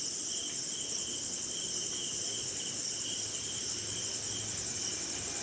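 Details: Crickets at night during rain somewhere in India, a dense insect chorus: a steady shrill high band with rapid pulsing, plus a lower pulsed trill repeating in short bursts, over a soft hiss of rain.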